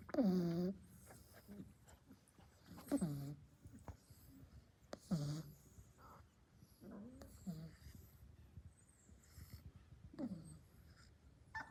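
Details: Napping Labrador puppy snoring: squeaky, falling voiced snores come roughly every two to three seconds, each a short whine-like sweep downward, with faint rustles and breathing between them in a small room.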